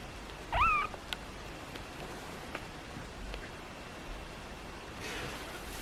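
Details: Pixel, a kitten, makes one brief rising-then-level squeaky meow under a second in, followed by soft clicks and a faint hiss near the end in a quiet room.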